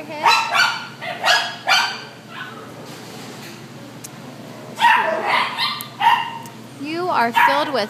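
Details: Devore shelter's white terrier mix: a few sharp barks, a quiet stretch, then renewed barking ending in wavering, yelping cries that slide up and down in pitch.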